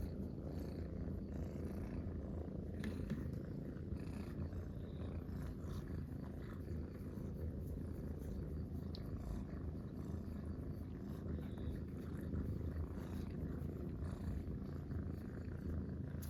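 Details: Three friendly Munchkin cats, including a kitten, lounging together in a round bed and purring at once; continuous deep, rumbling purring with an even throbbing rhythm, otherwise quiet.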